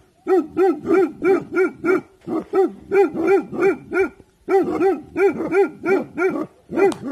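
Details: Bhotia dog named Dabu Goli on alert, guarding in the evening: rapid series of sharp, harmonic barks, about three per second, in bursts with a short pause near the middle.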